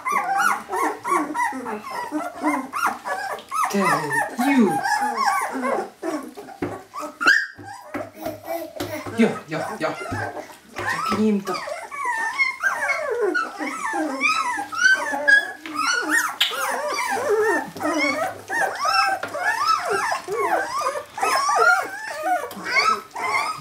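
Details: Jämthund puppy litter, kennel Fenrisulfr, 2012: a long stretch of crowded high-pitched yelping and whimpering from many pups at once, steady and busy throughout with brief lulls around seven and eleven seconds.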